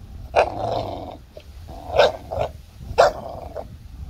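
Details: A 5-month-old American Bully puppy and a 2-year-old Golden Retriever at tug of war; a steady throaty growl punctuated by three sharp bark-like bursts about a second apart.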